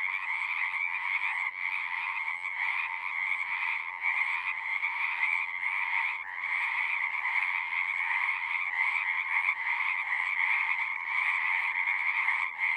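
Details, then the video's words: Frogs singing in a dense, unbroken chorus of natural sounds, overlapping trills forming steady bands near two pitches, mid and high, with brief dips in the din around the middle of the stretch. "One hour of singing frogs."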